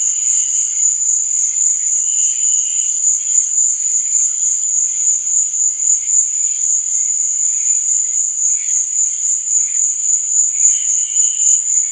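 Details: A continuous high, rapid cricket chorus at night, with intermittent lower-pitched trills popping in and out roughly every two to three seconds over the steady drone.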